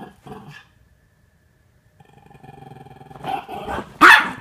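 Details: Playful wrestling among Norfolk Terriers keeping Ernie under control; short yips at first, a pause, then a rising rumbling growl that ends in one loud sharp bark.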